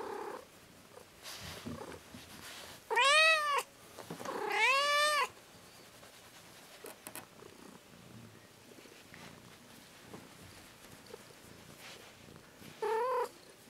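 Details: Domestic cat, said to be addicted to massage and annoyed when it stops, gives two loud drawn-out meows close together, then a shorter one near the end; faint purring and rustling in a quiet indoor room between calls.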